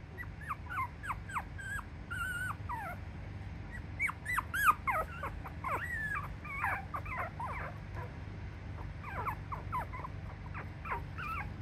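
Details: Toy Poodle puppies, two female littermates from a litter of five sisters, make many short, high, squeaky whimpers and yips, rising and falling, scattered through the recording over a low steady hum.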